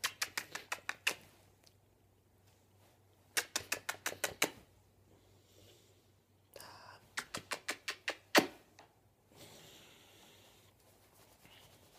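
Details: Bursts of rapid tapping clicks in a quiet small room, separated by soft rustling and a low hum, with no animal call.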